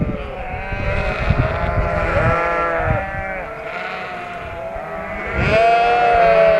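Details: Shropshire sheep flock after lambing, just moved into a field opposite a Shropshire home, making a constant din; many overlapping wavering bleats, some low and some high, one long high bleat near the end.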